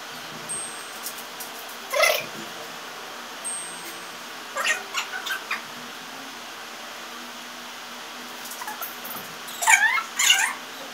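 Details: House cats playing a domino-block obstacle challenge at home: short meows break out in scattered bursts near two and five seconds, then a pair of wavering, bending calls near ten seconds, over a steady faint hum.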